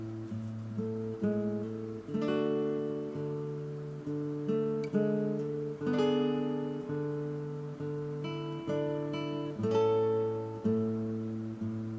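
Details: Acoustic guitar strummed and plucked in steady chords and melody throughout, with no animal voice heard.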